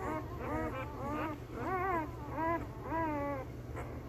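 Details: One-week-old male Belgian Malinois puppies, born 26 September 2021, from the Beastie/Barron litter, give drawn-out whining whimpers, rising then falling, in several overlapping voices about twice a second, over a low steady hum.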